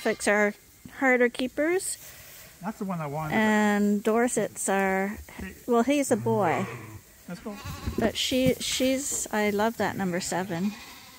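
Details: Bottle-fed lambs at Ewetopia Farms, still on their mothers but topped up twice daily from a hand-made feeder, give a string of short, overlapping bleats. Some are steady and some quaver, coming in quick bursts with brief gaps between.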